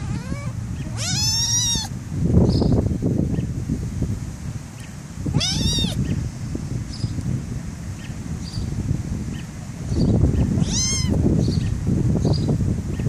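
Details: Black kitten being tickled, giving three short high squeaky meows spread across the recording, between bursts of low rustling and handling noise.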